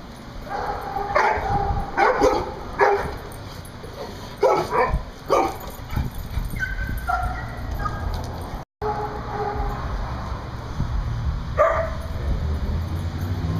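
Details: Big dogs playing outside on 7.5.10: loud barks come in clustered bursts through the first six seconds, mixed with short yips and whiny tones. A brief dropout follows, then one more sharp bark near the end over a rumbling outdoor background.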